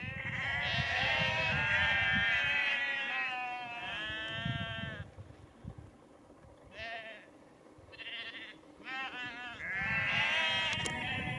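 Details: A flock of sheep near Cefn Coch, Powys, Wales, on 31 March 2021, bleats repeatedly with overlapping wavering, nasal calls as a farmer calls them and moves them down a lane to another field.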